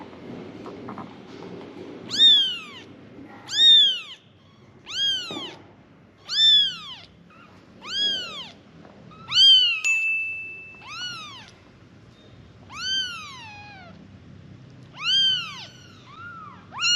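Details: Five kittens calling for their mother with high, arched meows, each rising then falling, about a dozen calls spaced roughly one to two seconds apart, a few overlapping; faint low rumbling at the very start.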